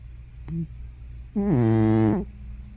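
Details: Sleeping old cat Hana, probably past fifteen years, lets out one loud, buzzy, wavering groan after a faint short squeak, a snore or sleep-talk sound, against a low room hum.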